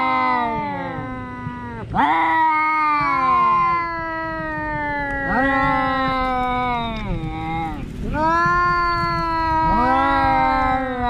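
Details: Cat meows run almost continuously: about five overlapping, drawn-out yowls that swoop up sharply at the onset, then sink gradually in pitch, with little silence between them.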